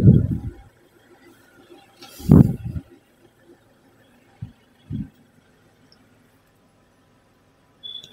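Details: Only a few dull low thumps and knocks from handling or movement are heard against near silence, with no animal voice.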